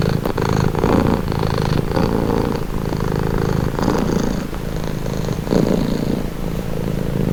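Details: Domestic cat purring steadily in a close recording, a continuous low rumbling throb with gentle swells in intensity, no other clear sounds.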